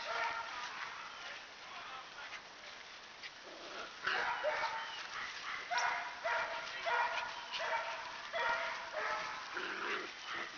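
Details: A dozen black-and-white parti-color Standard Poodle puppies, five males and seven females, romping outdoors in spring before rain while their mother watches; repeated short yips and barks, roughly one or two a second, with a human voice over a noisy background.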